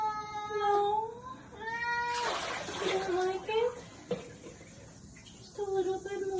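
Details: Repeated plaintive kitten meows, each a long tonal cry sliding slightly up then down, come in a series of about five, mixed with a burst of hissing noise and a woman's reassuring voice.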